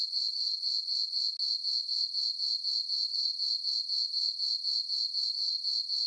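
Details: Crickets chirping on a summer night in a farm meadow under a full moon and dark skies: a steady high-pitched trill pulsing about four times per second, with no other sounds.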